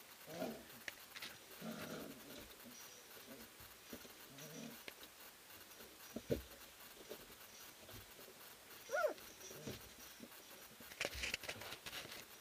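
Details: At Endurance Kennels, a sprint mushing kennel, three-week-old puppies of Ari and Grace wrestle in their whelping house, giving soft grunts, low playful growls and brief squeaks among rustling and knocking.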